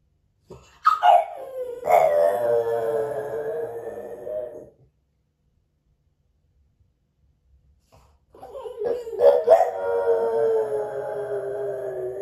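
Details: French Bulldog Moto-Moto, left alone at home and caught on a hidden camera, lets out two drawn-out howls several seconds apart. Each opens with sharp yelping rises, then settles into a sustained, slightly wavering mournful tone.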